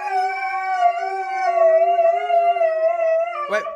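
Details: Siberian Husky gives a long, steady, sustained howl, slightly wavering in pitch, lasting several seconds. It ends with a brief rough break.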